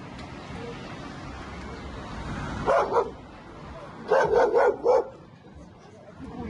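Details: Overexcited, dominant male American Staffordshire Terrier, two years old and not neutered, in Milan. It gives a double bark, then a quick run of four sharp barks a second later, over a steady hum of background noise.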